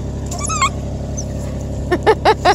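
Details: Bluetick Coonhound mother named Remington, very happy to have her baby girl back after a night apart; a high wavering whine, then four short harmonic yelps in quick succession near the end, over a low steady hum.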